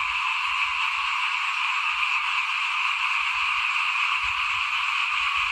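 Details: Many frogs croaking outside a house during rice sowing in 2021, forming a continuous shrill, rasping chorus without pauses, accompanied by soft low thumps and rumble.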